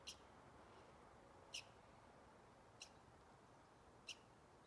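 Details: Four crisp, high-pitched squeaky chirps from a squirrel, each very short and sharp, spaced roughly every 1.3 seconds over faint background hiss.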